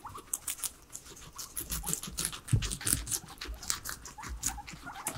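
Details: Three guinea pigs kept as pets eat veggies indoors; continuous fine crunching and snipping bites, quick and irregular, over faint rustling, with no talking or music.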